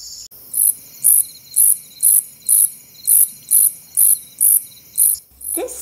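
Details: In August, late in the day, a slightly musical conehead katydid, singing from the ends of tall plants in weedy patches, gives a steady series of high, buzzy zips, about two each second.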